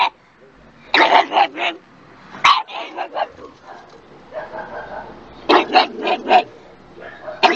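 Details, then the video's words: Dog barking in quick clusters of sharp barks, with softer yips and a voice-like sound in the quieter middle stretch, then another loud burst near the end. "Dog Barking - Funny Dogs Barking And Puppies Barking"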